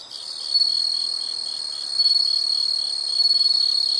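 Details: A close, unbroken high insect trill, shrill and buzzy, swelling gently in loudness three times over a few seconds, with no other sounds.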